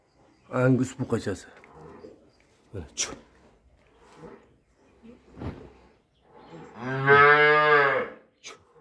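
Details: Russian Simmental calves kept for sale: scattered knocks, clatter and brief voice-like sounds, then one loud, sustained, rich moo lasting nearly two seconds, followed by a short knock.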